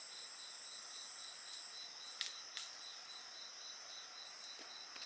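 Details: Insects singing by a bonfire, a high steady trill with pulsed chirping throughout, interrupted by two sharp wood crackles and pops from the fire midway.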